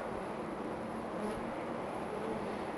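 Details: Honey bees buzzing at a hive about 25 to 30 feet high in a tree right outside a back door; a dense, steady hum fills the clip with no breaks.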